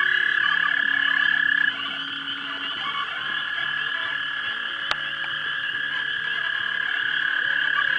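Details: Frogs calling to mate at a pond around dusk in March 2011, filmed with a 3 megapixel camera: a dense, unbroken chorus of high trilling voices that thins slightly after two seconds, with one sharp click midway.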